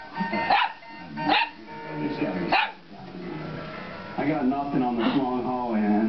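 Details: An Italian Greyhound, which barks at anything that moves, gives a few sharp, high barks spaced about a second apart at an animated Snoopy programme on television, over the TV dialogue.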